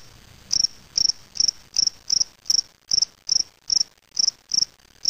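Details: Spring field cricket (Gryllus veletis) in a small cage, recorded May 25, 2007 in Waterloo, Ontario, Canada: short, high, pulsed chirps repeated about every 0.4 seconds, twelve chirps with a steady faint hiss between them.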